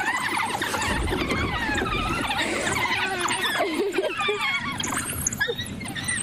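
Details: African wild dogs of the Sands Pack whining in happiness and excitement as the pack reunites and greets each other at sunrise on safari: many overlapping high, wavering squeals and whines, rising and falling, continuous from several animals.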